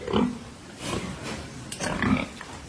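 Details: Pietrain boar on a hog farm: two short, low grunts, one at the start and one near two seconds, amid a man's chatter and background noise.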